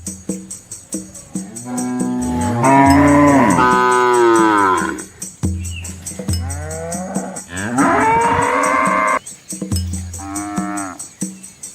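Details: Calves and a large herd of red village cows crossing a small river in rural Asia call out with several strong, wavering moos of varied length, over a high rhythmic ticking and splashing knocks.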